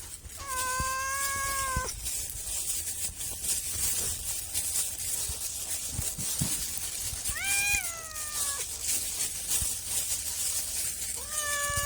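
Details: A cat meows three times, widely spaced about every five seconds, short rising-and-falling calls set against a constant loud hiss of background noise.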